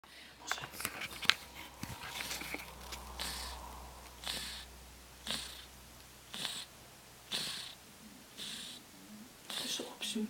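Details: Fat ginger cat asleep, snoring like a human: breathy, hissing snores repeat about once a second over a steady low indoor hum, with a few clicks and rustles near the start.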